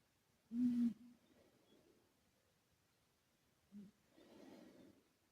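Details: Sleeping male British Shorthair, a former rescue cat named Karumo, his snore given an echo effect; a sharp nasal snort followed by a soft exhale, then another snort and a longer breathy snore.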